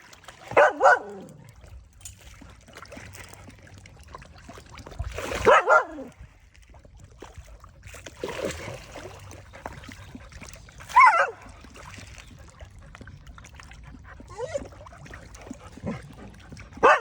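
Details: A Thai village dog barks to call fish to come and eat. Single loud barks, some drawn out with a whining, wavering tone, come every few seconds over a steady low background hum.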